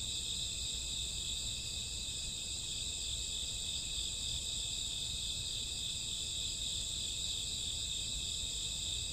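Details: Crickets and grassworms chirping on a summer or autumn night, a dense steady high-pitched trill of many insects layered in continuous bands, with no breaks and a faint low rumble beneath.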